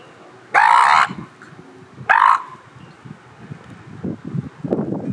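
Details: Northern elephant seal (Mirounga angustirostris), pup call.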